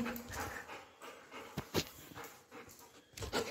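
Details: Golden Retriever at home, heard in soft, breathy panting bursts at an irregular pace, with a woman's voice speaking Marathi close by.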